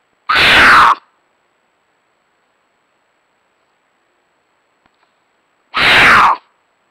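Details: Female mountain lion in estrus giving mating screams in Nebraska, 4.5.22 at 9:18 pm: two harsh, raspy, loud screams of under a second each, about five seconds apart, with silence between.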